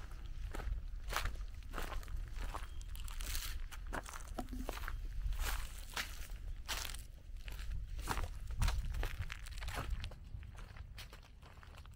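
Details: Footsteps crunching over ground outdoors on a rural farm in Tennessee, with scattered rustling and crinkling and no animal voice heard.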